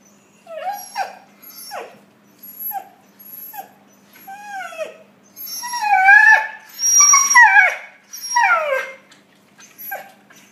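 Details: Several puppies interacting, giving a string of whining, downward-sliding whimpers spaced about a second apart, then a louder cluster of overlapping howl-like whines from more than one pup before tapering off.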